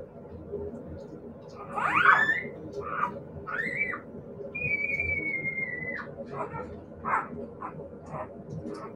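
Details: Siberian Husky puppies: a series of short arched whines and yelps around mid-pitch, then a long, high, steady whistle-like note that slides down at its end, followed by more brief whimpers, over soft background noise and voices.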